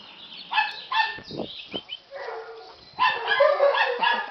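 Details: Rottweiler puppy whining and yipping in uneven bursts, some short sharp yips and a few lower rough calls in the middle, ending in a longer, louder, wavering whine.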